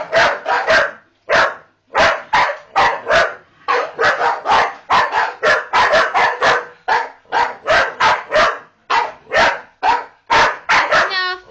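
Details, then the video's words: Staffordshire Bull Terriers "talking" to their owner, a rapid run of short, harsh, yappy barks and grumbling yowls, several per second with brief gaps, ending in a higher whining note. "Talking Staffies"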